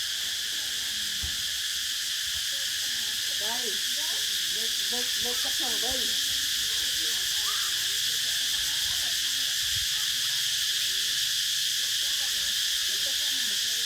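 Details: Steady, piercing cicada buzz running the whole time; beneath it, soft quick upturned chirps come in short clusters in the middle, plus a couple of dull low knocks.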